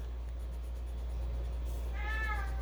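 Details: A female domestic cat walks around howling with a toy mouse in her mouth as if it were her baby: a short, drawn-out howling meow that slides slightly downward over a steady low hum.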